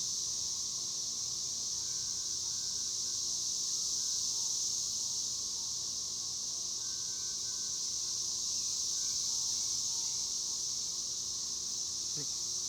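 Cicadas drone in a steady, high, hissing buzz that holds without a break.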